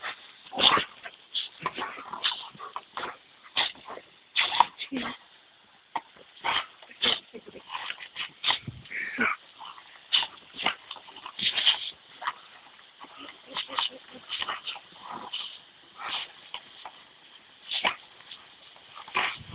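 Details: Two Dobermanns, a two-year-old female and her seven-year-old grandfather, playing with a garden hose on a very hot day; short sharp barks, yips and whines in quick irregular bursts, with voices and splashing noise between.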